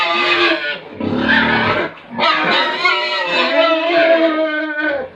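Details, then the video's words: Pigs and piglets at a Tripura farm: continuous loud, strained squeals, one short break with a deeper grunting noise, then a long wavering squeal trailing off. "Pigs & Piglets sounds"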